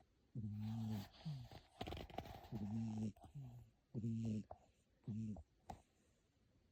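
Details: Snoring cat fast asleep indoors, loud only when it sleeps in the room: rhythmic low, gravelly snores paired with softer breaths, about two per second-and-a-half, with a brief rustling scrape partway through.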